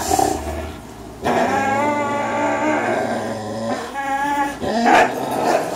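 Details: Two three-year-old dogs, Greyhound Fox and German Shorthaired Pointer Miles, tussle over a tug toy. Steady, rough, harmonic growling holds for several seconds, briefly dipping quieter before a louder burst near the end.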